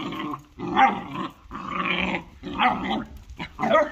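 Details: Two dogs, a German Shorthaired Pointer and a Jagdterrier, fighting: rough, harsh snarling growls in four bursts of about a second each, separated by brief pauses, with a short sharp yelp near the end.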